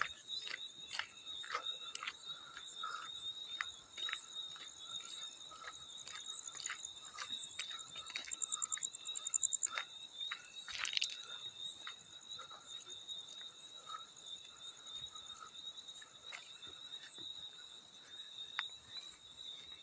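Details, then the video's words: A field cricket trills continuously at a high pitch, the tone holding level throughout, while frequent crisp water splashes and dripping clicks punctuate the background, one louder splash near the middle. "Field Cricket + water splash sounds"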